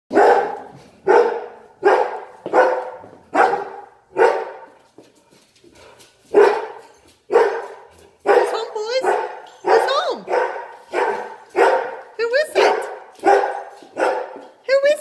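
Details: Two Great Danes greeting their owner home after a long day at work: a run of loud, deep barks repeated roughly every half second, turning into rising whiny yelps, with a person talking excitedly between them.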